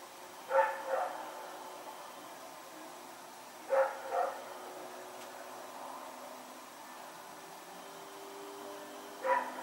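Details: Rex, a dog dashing about at night, recorded 21 September 2018, gives three separate double-note barks spaced roughly three seconds apart, quiet hum filling the pauses.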